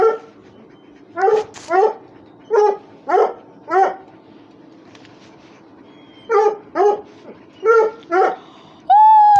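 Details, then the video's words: Russian Hound with other dogs at rough play, uttering short sharp whining yips in two bursts of about five and four, separated by a quiet pause, ending on a sustained tone. "РУССКИЙ ГОНЩИЙ СВИСТ, СКУЛИТ+СОБАКИ ДРАКА ИГРАЮТ"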